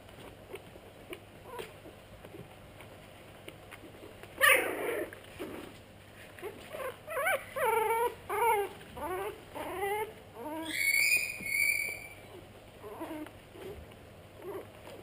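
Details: Pug cross puppies whimpering. A loud scuffle near four seconds is followed by a run of arching, whined yelps spaced under a second apart, then a thin high squeal near the end.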